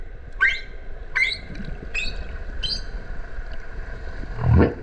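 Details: Humpback whale sounds underwater off the Kerama Islands, Okinawa, in the breeding season, mother and calf nearby: four short high chirping upsweeps spaced about a second apart, then a deep low groan.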